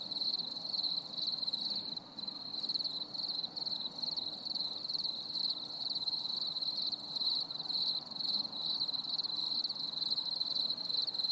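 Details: A stormy summer evening with crickets singing: continuous high, rapidly pulsed chirping in an even rhythm, plus faint upper trills and a low, airy background rumble.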